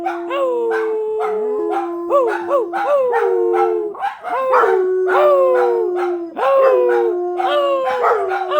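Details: A group of dogs in a chorus of howls, one voice holding a steady low drawn-out note while others repeatedly break in with quick rising yelps that fall away, steady and loud throughout.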